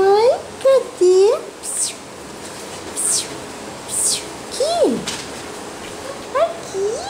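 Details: Several short, arched squeaky yelps from Basset Hound puppies, spaced irregularly across the stretch, with faint sharp clicks between them in a small indoor space.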